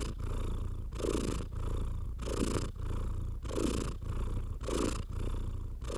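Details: Domestic house cat purring while being stroked, a steady low rumble in rhythmic bursts of roughly one second, each swelling and fading, about five cycles, with soft stroking noise.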